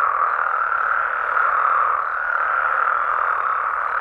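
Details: Frogs calling at night in Mexican amphibian habitat: a dense, unbroken chorus of many overlapping croaking voices forming a steady mid-pitched wash with no pauses.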